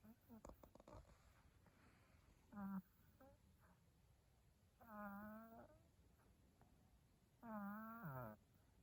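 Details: A sleeping cat snores indoors: three drawn-out, nasal, tonal breaths with a steady low hum and buzzy overtones, spaced roughly every two and a half seconds after a few soft clicks at the start.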